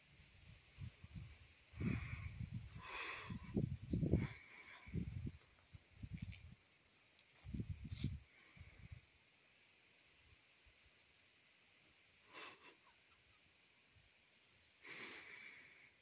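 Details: A large bull that wandered into a campsite in the morning, meeting a bulldog; a series of low, breathy snorts and huffs in the first nine seconds, then quiet with a few faint rustles and brief hissing bursts.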